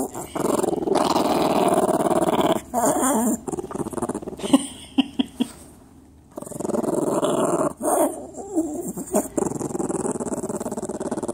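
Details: Dog giving eerie, demon-like growls: long rasping, grinding growl bursts lasting several seconds, with a quieter stretch in the middle holding a few sharp clicks before loud growling resumes.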